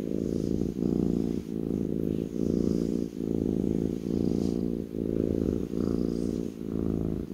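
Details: A kitten lying on a person's lap purrs continuously, a deep buzzing rumble rising and falling in even breath-length pulses roughly every 0.75 seconds, close and clear.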